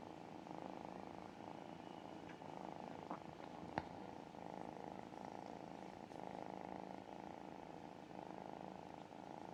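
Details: A tiny kitten, cuddled and relaxed, purrs steadily: a soft, continuous rumbling pulse that runs unbroken throughout.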